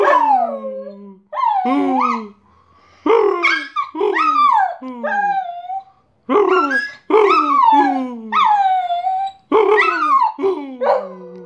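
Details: Bosco the pet dog sings while fetching the post, a broken string of yodelling yelps and short howls, each swooping up then down, mixing with bark-like bursts in clusters separated by brief pauses.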